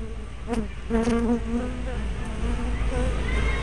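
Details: Bee hive entrance on 24 May 2012, spy camera recording: close flight buzzes with a clear low droning tone, several short passes within a few seconds, one bee buzzing loudly near the microphone, over a continuous low background hum.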